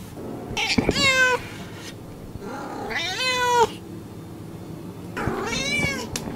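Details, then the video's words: A house cat gives three drawn-out meows, each bending up then down in pitch, heard over a constant low room rumble. "SOUNDS OF AMERICAN CATS 2023"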